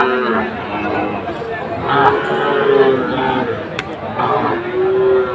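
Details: At a Comilla market in Bangladesh, 17 August 2024, Sahiwal bull calves give short, low moos at irregular intervals, mixed with people bargaining and general crowd noise.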